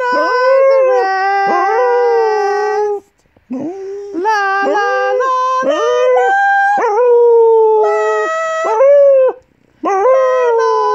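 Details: Pet Golden English Cocker Spaniel, an 8-year-old female, howling along with her owner to "On Top of Spaghetti" in the morning. Sustained, rich-toned wails waver and step between notes in three long phrases separated by brief silences.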